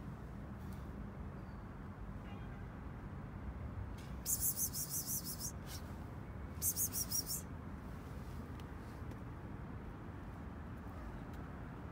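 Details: Steady low rumbling background noise with two brief bursts of high, scratchy rattling, and no animal calls.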